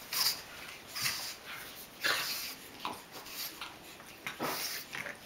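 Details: A tiny pug puppy playing with and dominating a large adult pug makes breathy snorts and small whimpers in short bursts about once a second.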